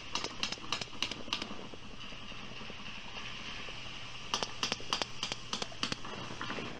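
Sperm whale coda: a short series of sharp, evenly spaced clicks, given twice.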